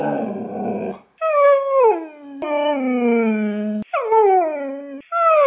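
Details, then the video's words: Husky kept as a pet, talking in a way meant to sound like hello and other words: a breathy, noisy opening, then several long howled notes that bend and fall in pitch, one held steady and low. "My Husky Says “Hello” Perfectly! (And other words!)"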